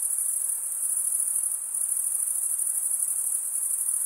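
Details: A constant high-pitched cricket trill made by males rubbing toothed wing veins together, running unbroken with a rapid fine pulse and only a slight dip in loudness midway, over faint hiss.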